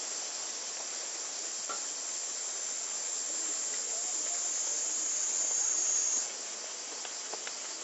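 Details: Japanese summer cicada chorus, claimed to exceed 120 dB, filmed with a Panasonic Lumix camera: a continuous, loud buzzing hiss, high-pitched and even, briefly intensifying then easing slightly after about six seconds.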